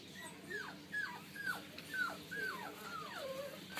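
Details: Boston terrier x pug puppies whimper in thin, high, falling whines repeated about twice a second.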